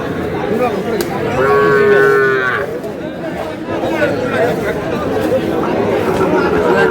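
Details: Sahiwal cattle, bull calves at a market in Kurigram, 3 March: a single sustained moo with a slight downward bend early on, then fainter lowing beneath constant human chatter and market bustle.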